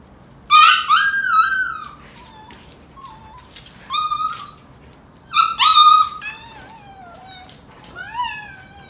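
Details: Golden Retriever puppies wrestling with their mother, who is teaching them to toughen up; high whining yelps with stacked harmonics, some sliding downward, come in bursts about every four to five seconds with quiet gaps between.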